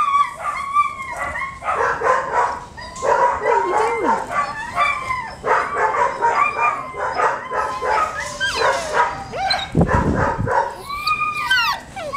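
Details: Male pet dog that wants to be picked up, giving a long run of quick high yips and sliding whines, close and excited, with a lower thump near the end and a person's voice now and then.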